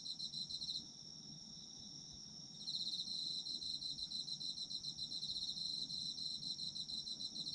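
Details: Autumn insect chorus recorded for sleep relaxation: dense high trilling pulses that pause briefly near the one-second mark, leaving a thin steady ringing tone, then resume rapid and continuous from about two and a half seconds onward.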